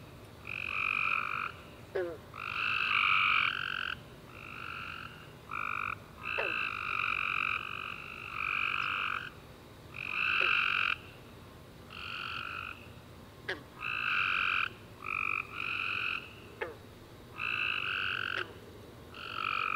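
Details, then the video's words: Tree frogs singing at night after a rainy summer day: a dense chorus of buzzy, nasal chirps in rapid, irregular bursts, several callers overlapping, with faint sharp clicks scattered through the steady rhythm. "Tree Frog Chorus After A Warm Rainy Day - 10 Hours Tree Frogs Chirping You To Sleep"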